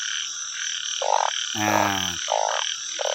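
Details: After the first rain of 2023 in the Thai countryside, banded bullfrogs give nasal croaks about every second. One longer, deeper croak stands out, all over a continuous shrill insect chorus.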